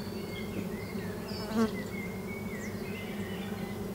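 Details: Bees buzzing at a lavender farm near Hepburn Springs, Victoria, Australia, on a warm summer evening at dusk: a steady low drone of wings beneath clear whistled bird notes and a brief chirp.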